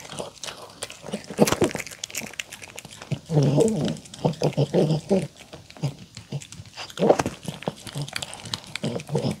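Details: A poodle eats homemade chicken tenders and salad with apple, carrot, cabbage, pumpkin-egg-olive-oil dressing: bursts of wet chewing, crunching and smacking in a quiet room.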